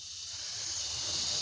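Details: King cobra hissing: a steady, breathy, high-pitched hiss lasting the whole stretch, slowly growing louder, with faint low rumble beneath.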